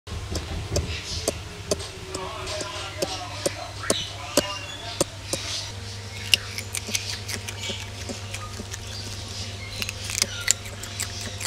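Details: Ring-tailed lemurs eating their meal: scattered sharp crunches and clicks of chewing, irregular and close, over a steady low electrical hum with faint murmuring in the background.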